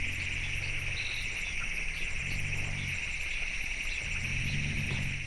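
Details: African forest elephant (Loxodonta cyclotis), rumble.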